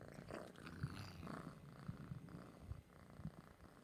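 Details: Noah, an orange cat, purring up close while guarding treats; a soft low rumbling purr runs steadily throughout, with faint rustling and handling noises above it.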